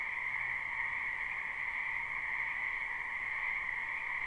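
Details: Frogs gathered in a wetland during spring, recorded live: a brief stretch of dense, ringing chorus, overlapping trills blending into one constant high hum with no gaps.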